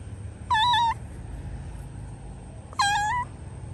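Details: Cat reported locked in a hole, giving two loud, drawn-out meows about two seconds apart, each a steady harmonic cry with a slight rise at the end; low rumbling background noise and a constant high whine.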